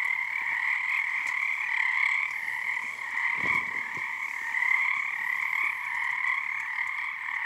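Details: Night frog choir at Frog Korner, Harstine Island, Washington, under the first full moon of the season: a steady, rattling mass of overlapping croaks, with a soft low thump near three and a half seconds.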